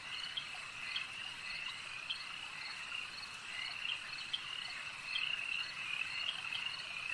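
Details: Lakeside frog chorus, many animals trilling together in a steady high band, with a few louder pulsed notes rising above the continuous background.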